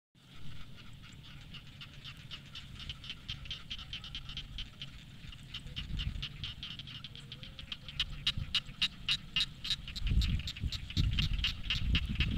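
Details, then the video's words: Frogs singing in rice fields on an evening, a dense chorus of rapid broadband clicks and croaks repeating several times a second, growing louder toward the end, over low rumbling background noise. "Nongkrong Sore Disawah Menikmati Nyanyian Katak"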